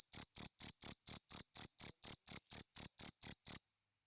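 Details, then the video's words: Cricket outdoors producing about fourteen sharp, high-pitched chirps at an even quick pace, then falling silent at the end. "suara jangkrik alam"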